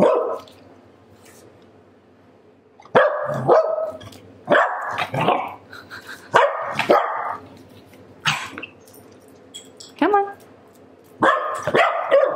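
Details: Pembroke Welsh Corgi female with attitude, disapproving of being mildly annoyed, giving a string of sharp grumbling barks and growly yips, about six bursts over twelve seconds after a quiet opening, indoors.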